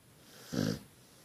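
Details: Dog in a cone head bandage giving a single short, low, rasping snore lasting under half a second, with near silence before and after.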